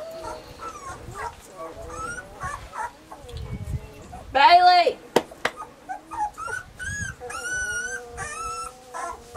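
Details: Weimaraner puppies named Bailey, Hailey and Jenny vocalize in a summer recording, with overlapping high whines and squeals, one loud yelp near the middle, and faint talking underneath.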